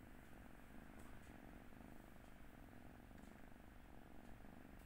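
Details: Kotora, an 11-week-old Turkish Angora kitten sleeping on its second day in a new home, 25 February 2022, purrs softly and continuously in a low, even rumble with faint rhythmic pulsing. The room is quiet.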